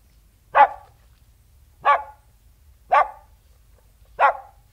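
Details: King Charles Spaniel barking outdoors: four short, sharp barks spaced a little over a second apart, each a bright burst over a quiet background.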